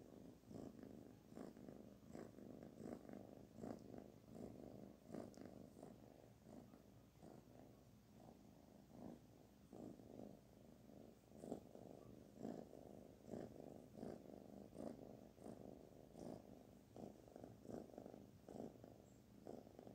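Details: Kitten named Barfi purring steadily while being petted, a continuous low rumble pulsing in quick irregular bursts throughout, with faint rustling of handling in the background.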